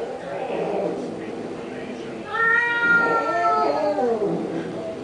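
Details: Pet cats quarrel indoors over a pink toy Mustang. After a murmur of voices, a long, clear, plaintive meow rises and then slowly falls over about two seconds, trailing into softer wavering cries.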